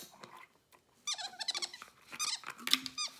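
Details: Pet capuchin monkey playing indoors, opening and closing a bottle cap; high, thin squeaks in short sliding bursts, several in quick succession, with a person's voice praising it nearby.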